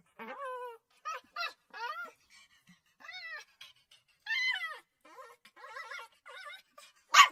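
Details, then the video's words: A puppy cries in short nasal whines and yips, each rising then dropping in pitch, spaced about half a second apart, ending with a sudden sharp yelp. "puppy crying sound effects ~ puppy crying sounds for dogs"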